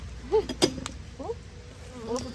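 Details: Going into winter, Western honey bees buzz in a steady low drone, unhappy and pouring out the bottom of a disturbed hive box during an inspection and split, with a person talking.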